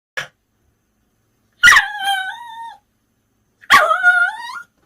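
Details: Bichon Frise dog reacting to its favourite toys, secretly washed and hung up in plain view: a short click, then two loud yelping barks with harmonic tails sliding downward, about two seconds apart, in an otherwise quiet room.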